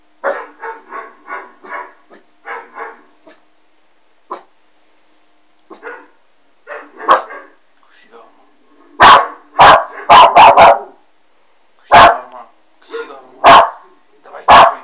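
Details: Puppy West Highland White Terrier indoors, barking at a Doberman shown on a screen: a quick run of evenly spaced moderate barks, then after a pause several very loud, sharp, close barks in irregular bursts.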